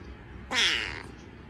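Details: A domestic cat gives a single drawn-out meow lasting about half a second, bright and rising then falling, over a quiet background with faint room noise.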